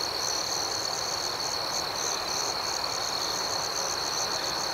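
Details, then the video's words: Nighttime crickets sustain a dense, steady high-pitched ringing, with rapid regular pulses pattering just above it throughout and no breaks. "Soothing Cricket Sounds"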